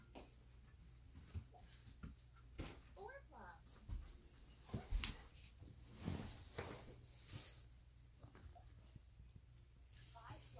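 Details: Alaskan Malamute puppies, three and a half weeks old, playing indoors: short high whines and squeaky yelps rising and falling in bursts, with soft scuffling thumps and a steady low hum underneath.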